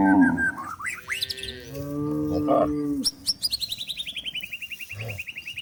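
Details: Cows foraging in forest while herded to their pen: a low, steady moo lasting over a second, followed by a long, rapidly repeated series of descending bird chirps.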